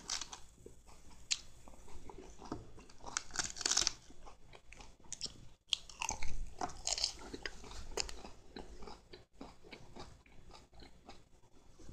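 Crunchy chewing and biting sounds indoors, with no animal call heard.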